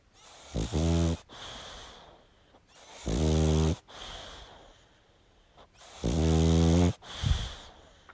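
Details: A sleeping pug snores loudly and deeply. Three long, rasping, harmonic snores come at roughly three-second intervals, with a hissy breath between each and a softer snort near the end. No other sounds are clear.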